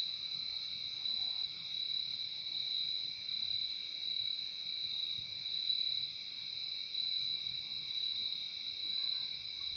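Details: Continuous high-pitched cricket trilling at night, smooth and unbroken across the whole stretch, a second quieter tone below it, light background hiss.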